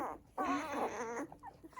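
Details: Newborn poodle pup, upset after losing its nipple while its littermates nurse, gives one drawn-out, wavering cry followed by a few soft squeaks.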